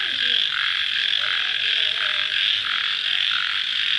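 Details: Post-rain nighttime cricket chorus: a high, continuous, buzzy shrill with gently pulsing lower tones and a few faint, short lower calls in the background.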